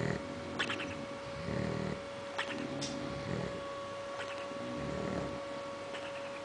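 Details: A bulldog asleep gives rough, irregular snoring breaths with a snorting edge, set against a steady electrical hum.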